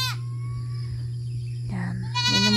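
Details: Goats grazing at a countryside pasture: a short bleat opens the clip, then a faint drawn-out cry, and two more short bleats follow near the end, all over a constant low droning hum.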